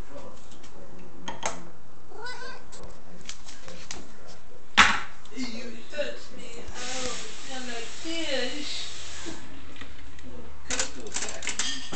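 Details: A Devon Rex cat begs for tuna with short, rising and falling meows while a person talks nearby.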